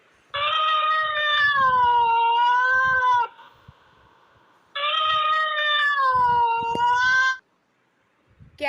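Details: A cat gives two long, drawn-out meows, each lasting about three seconds with a slight wavering fall in pitch, separated by a short pause, with faint low thumps in the background.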